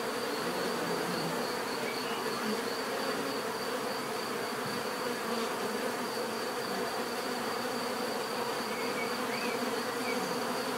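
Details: Bees buzzing in a dense, unbroken hum, a low droning band with layered overtones and a thin, steady high whine running above it for the whole stretch.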